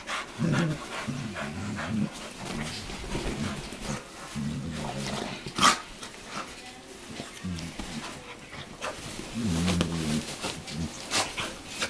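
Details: Dogs playing and making funny noises: rumbling growl-like groans in several drawn-out bouts, with panting and a sharp bump in between, and faint voices and music behind.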